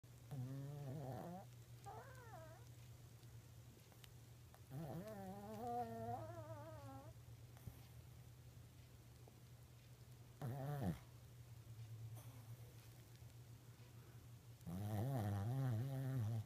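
A sleeping Shih Tzu snores in wavering, groaning bursts every few seconds over a low steady hum.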